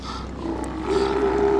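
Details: Steller sea lions calling at a colony on Mitlenatch Island on October 8th, 2012: a sustained, droning roar that swells louder midway, heard under a person's voice commenting on a big male.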